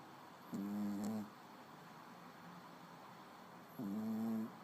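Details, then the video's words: Snoring small pet dog, two tonal, buzzy snores roughly three seconds apart, each steady then sagging a little at the end, with quiet hiss between breaths. "Пёсик храпит"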